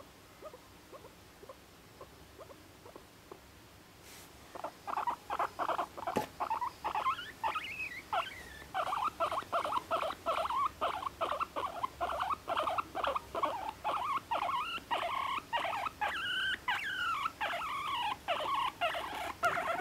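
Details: Pet guinea pig, a year and a half old, kept in a cage in an apartment: soft clicking at first, then a steady run of short squeaky chirps, about two to three per second, rising and falling.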